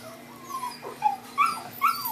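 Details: Female blue merle Miniature Australian Shepherd puppy, about 4 weeks old, indoors: a few high, thin whimpers and squeaks, some sliding downward, spaced about half a second apart over a steady background hum.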